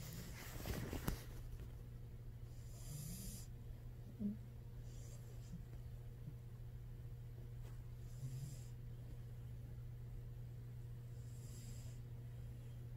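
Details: Knives the cat asleep and snoring: soft breathy hisses recur about every five seconds over a steady low hum in a quiet room.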